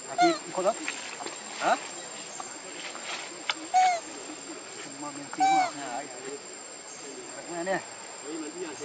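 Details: Hungry baby monkey Leo Rainbow crying for its mother and her milk; a run of short, whining, tonal cries spaced every one to two seconds, some bending down in pitch, over constant hiss and faint rustling.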